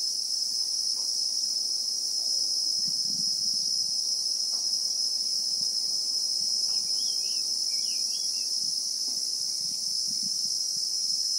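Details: Bushveld chorus of Christmas beetles (Anoplognathus), South Africa, real-time recording: continuous piercing high buzz without pause, a few faint bird chirps near the middle, and quiet low rustles throughout.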